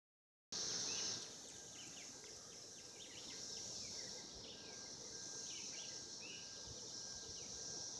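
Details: Cicadas calling to mate in 2016: a steady, high, hissing drone holds without a break, with quick bird chirps and short whistled notes scattered over it.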